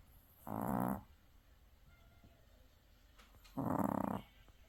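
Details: Two short snores from a Maltese dog exhausted after the seaside, each about half a second of raspy, pulsing rattle, separated by roughly three seconds of quiet breathing.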